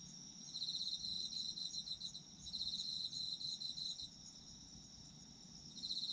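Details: Autumn insects singing in a steady chorus: a bright, pulsed trill near the top of the range swells in bursts lasting one to two seconds, over a continuous higher shimmering drone of other callers, meant for sleep listening.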